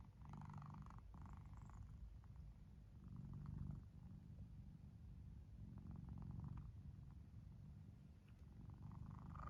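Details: Deep continuous rumbling from a cat sound asleep, breathing in slow, even cycles about every three seconds, each swell a soft throaty snore over a constant low purr.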